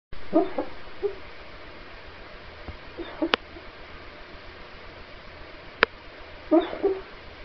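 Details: A Weimaraner dreaming in its sleep gives soft, whiny, strange whimpers in short bursts spread a few seconds apart.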